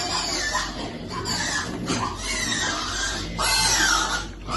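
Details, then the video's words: Baby piglet waiting to eat, squealing in a run of high, harmonic, rising and falling cries that fill the clip, with loud bursts near the start and toward the end and steady background noise. "Baby piglet waiting eat food"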